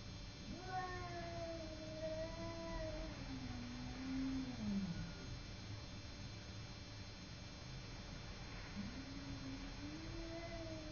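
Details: Fight between Simba, a house cat, and a neighbouring cat: a long wavering growl-yowl that dips and climbs before trailing off, a quiet gap, then another drawn-out moan beginning, with constant low hum behind.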